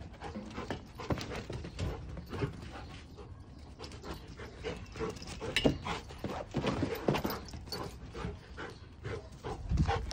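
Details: Female Giant Schnauzer panting, a fast irregular run of breathy huffs with scattered louder bursts, some sharper clicks and rustling over the ten seconds.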